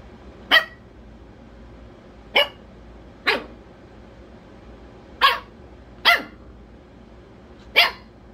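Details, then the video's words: A rescue Pomchi (Pomeranian/Chihuahua mix) puppy, playful and fussy when he doesn't get his way, gives six sharp, high-pitched, squeaky yaps spaced unevenly a second or two apart. "The Cutest Baby Dog Bark"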